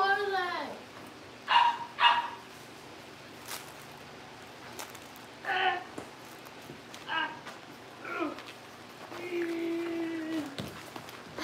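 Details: Cavalier King Charles Spaniel puppies kept at home: sharp high yips in small pairs and a drawn-out falling whine stand out between quiet stretches, with faint voices and knocks in the room.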